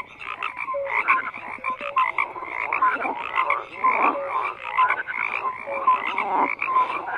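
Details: Numerous frogs croaking in a busy chorus. Buzzy, crackling calls overlap with short, bright tonal chirps that recur every half second or so, the volume rising and falling slightly.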